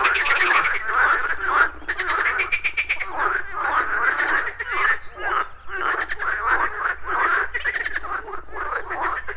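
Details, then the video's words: Frogs croaking at a morning pond alongside buzzing insects, in a loud chorus of rough, repeated croaks about two per second, with short pulsed trills and brief dips between bursts. "Frogs Croaking"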